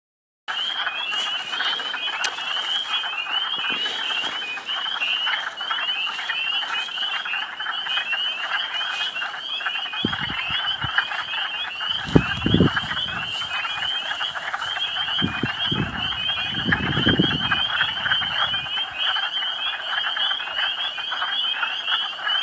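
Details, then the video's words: Hundreds of frogs waking from hibernation in spring, calling from a partly thawed pool in the woods of the Quabbin Reservoir preserve, Western Massachusetts: a loud dense chorus of high rattling trills and croaks, with low rumbling thumps midway. "Spring Frog Madness"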